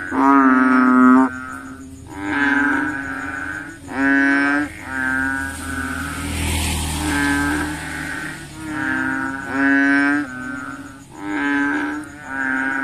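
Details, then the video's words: Frogs at night searching for mosquitoes keep up a chorus of rich, nasal mooing calls about a second long, several animals overlapping; a brief rushing noise passes midway, and a continuous high whine runs throughout. "frogs look for mosquitoes at night, the sound of frogs"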